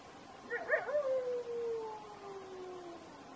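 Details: A desert wolf gives a short quavering yelp, then a smooth howl that slides steadily downward and trails off over about two seconds, with faint hiss behind.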